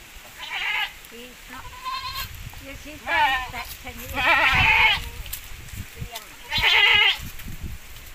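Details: Javanese goats crossed with Boer on a breeding farm: a run of quavering, wavering bleats, some high and some lower, several in sequence with louder bursts, while people talk in the background.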